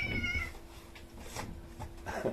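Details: Outdoor cat meowing while seven rescued kittens indoors freeze at the sound; one short harmonic meow opens, followed by quiet room noise, soft rustling and a person beginning to talk.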